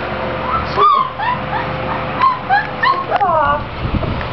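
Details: Six-week-old Clumber Spaniel puppies playing: a string of short, high whimpers and yips, rising and falling squeaks repeated irregularly over four seconds, with a steady hum in the background and a woman's voice nearby.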